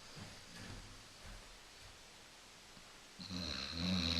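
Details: Coco the Basset Hound, female, asleep on a couch: quiet, soft breathing for three seconds, then a loud, rasping, buzzy snore begins and builds to the end.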